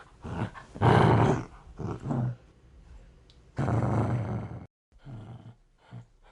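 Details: Aggressive dog growling in deep, rough rumbling bursts, one long snarl near the start and another mid-way, with shorter low growls between and brief pauses.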